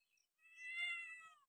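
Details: Domestic cat in a happy, playful mood, giving a single clear meow of about one second, a steady harmonic tone that rises slightly and then falls gently at the end, in a quiet setting.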